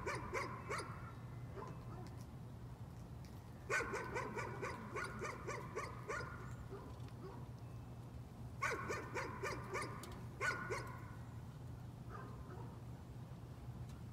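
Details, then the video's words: Dog keeps up nuisance barking, several short volleys of quick, sharp barks separated by brief pauses across fourteen seconds, some barks fainter than others, over a steady low-pitched hum. "Nuisance barking again."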